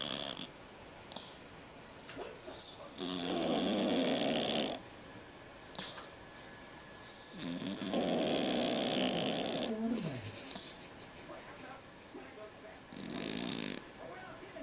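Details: Snoring cat producing broad rasping breaths in three long bursts separated by quieter gaps, with faint clicks and room noise between them.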